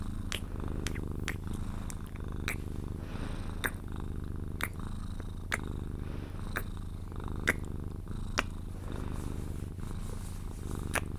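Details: Sphynx cat purring steadily while being cuddled indoors, purring until it falls asleep; a continuous low rumbling drone with sharp clicks and taps from handling or kisses scattered about once every one to two seconds.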